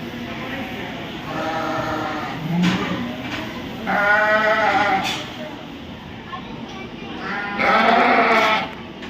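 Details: Three trembling, nasal sheep bleats, each about a second long, with steady background voices and hall noise, recorded at the Royal Winter Fair 2023 in Toronto, Ontario.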